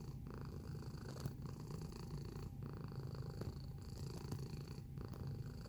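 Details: Purring domestic cat recorded close up: a throaty, buzzing low rumble that rises and falls in steady breath cycles with short pauses between, with a faint background hum.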